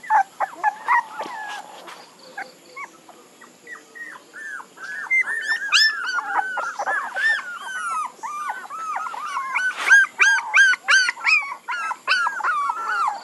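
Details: Puppies squeal and whine, starting with scattered soft whimpers and building into a dense chorus of overlapping high, curling yelps from several young dogs.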